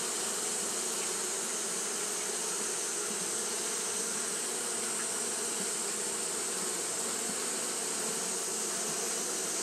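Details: Japanese honey bees fanning steadily on a hot day, a continuous low droning hum of many wings under a constant bright hiss, with no breaks or pauses.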